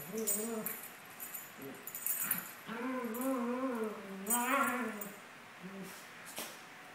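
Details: Playing Maltese pair, Sunny and Moony, aged 17 months, producing wavering, moaning whines that rise and fall over several seconds, broken by brief pauses and a few sharp clicks.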